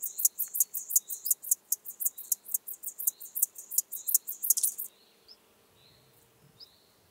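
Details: Chorthippus apricarius at Moosham, Austria, in October 2020: roughly five seconds of loud, rhythmic high rasping pulses that stop abruptly, followed by near silence with a few soft, higher chirps.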